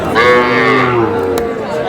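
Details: Small bull calves at a cattle market where a Kushtia farmer is buying, 23 June: one drawn-out, slightly falling moo of about a second, rich in harmonics, with crowd chatter and men's voices behind it.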